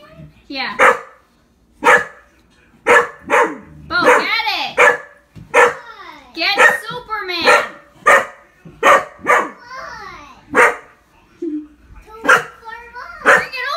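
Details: Indoor hunting dog, frightened of a Superman figure in the room, barking in quick irregular bursts, some barks rising into yelping tones, mixed with a person's voice talking over the barking.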